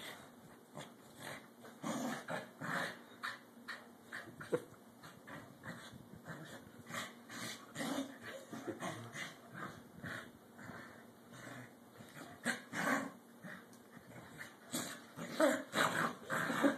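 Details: Two pet corgis at play, vying for dominance: low, rough growls and snarls come in uneven bursts throughout, with occasional sharper yips, recorded fairly quietly with steady background hiss.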